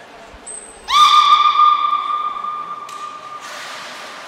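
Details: Captive belugas Gray, Nana and Mirai during a training session at Port of Nagoya Public Aquarium, Japan, on 10 February 2024. A brief thin high whistle comes first, then a loud, rich, buzzy tone with strong overtones, held steady about two seconds before fading.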